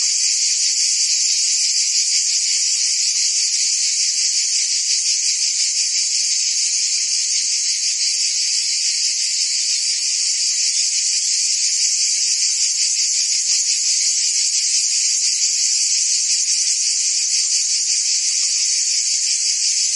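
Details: Unceasing high-pitched trilling from many crickets and insects, evenly loud for the whole stretch, with a fine rapid pulsation woven through the sustained shimmer.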